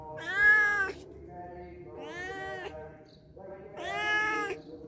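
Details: Three long, clear meows from cats that showed up at a house for a day or two, each about a second long with an arched pitch, separated by short pauses in otherwise quiet surroundings.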